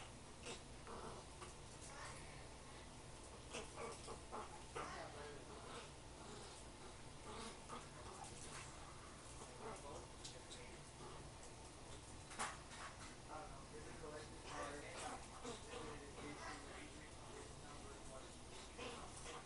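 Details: A litter of cream Pomeranian puppies: many short, high squeaks and whimpers overlap throughout, scattered and irregular, over a steady background hiss and low hum.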